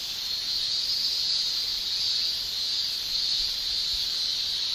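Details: Male cicadas in Japan in summer, shrilling with their tymbals in an unbroken, bright high-pitched buzz that stays level throughout, with soft low thumps near the end.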